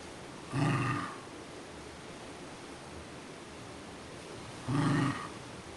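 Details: Duffy the pet Scottish Terrier, begging for breakfast, gives two low harmonic groaning grumbles, each about half a second long and four seconds apart, over a quiet indoor background.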